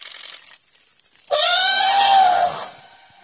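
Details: An elephant crossing the road gives a loud, brassy warning trumpet that swells, holds, then fades after about a second.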